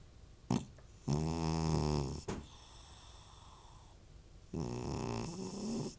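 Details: Old domestic cat snoring loudly, with possible retching; a harsh, buzzy snore drawn out for about a second, a pause, then another long rasping breath, with short sharp snorts in between, indoors and otherwise quiet.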